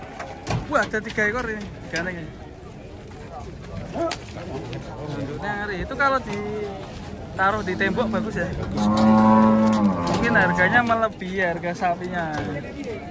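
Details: Very thin, bony cow, still alive, lowing with drawn-out harmonic moos, the loudest one held for about a second near the middle, amid people talking and background clatter.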